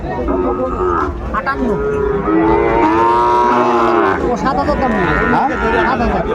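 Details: Sahiwal cattle at a Sylhet livestock market, Bangladesh, 16 December 2024, during bargaining over a six-month-old bull calf. Men talk throughout, and a drawn-out mooing swells in the middle, then fades under the voices.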